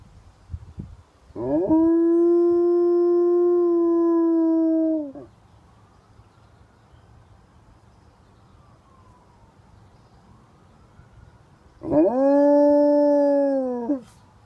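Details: Alaskan Malamute, a male foster dog, howling: a steady, level, long howl of about three and a half seconds, then quiet, then a second similar howl that falls slightly at its end.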